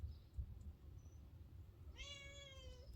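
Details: Female wild cat, a stray fed and trained for almost three years, utters one clear, level, drawn-out meow of nearly a second after some low rustling and handling noises.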